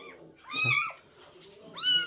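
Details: Rescued stray cat lets out two clear, high-pitched meows, each curving up then down, separated by a short pause, with faint human talk in the background.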